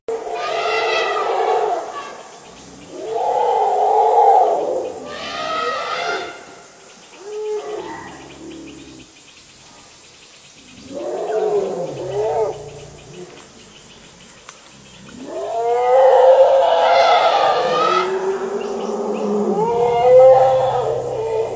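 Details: Two wild Asian elephant herds meet, presumed to be competing for territory, by a reservoir in Thailand's Phu Khiao Wildlife Sanctuary, evening of 3 March 2019; about six loud, harmonic roaring and trumpeting bursts are separated by quiet gaps.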